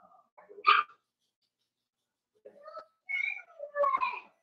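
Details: Daisy's four-week-old Cavalier King Charles Spaniel puppies in a pen indoors: a sharp squeal, a pause, then a few wavering, high whimpers sliding up and down.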